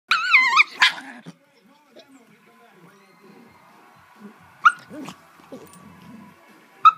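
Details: Two cream Shiba Inu puppy sisters from the same litter, three and a half months old, vocalizing to each other indoors: a wavering high yodel-like whine at the start, then quiet with a few short sharp yips.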